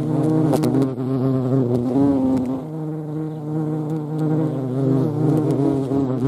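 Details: Loud, deep buzzing of European hornets (Vespa crabro) in action, the drone dipping and shifting in pitch as they manoeuvre, with a few faint clicks.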